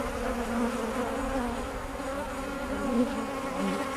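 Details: Kept bees droning, a thick unbroken hum with stacked steady tones and no pauses.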